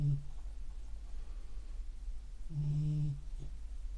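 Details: Sleeping beagle indoors: a short low snore at the start, quiet breathing, then one longer, humming snore.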